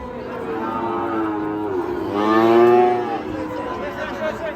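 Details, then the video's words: An angry cow lets out a drawn-out moo that swells loudly in the middle, then fades, with steady lower lowing underneath. "KUMPULAN SAPI NGAMUK"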